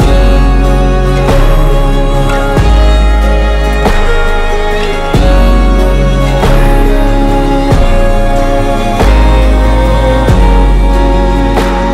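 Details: Loud instrumental music with a regular beat and sustained chords plays throughout, with no animal sound present.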